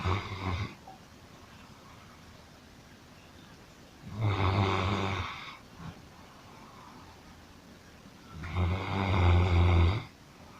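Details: A sleeping dog snoring like a human: three long, deep rumbling snores with harmonic overtones, spaced about four seconds apart, separated by quiet breathing.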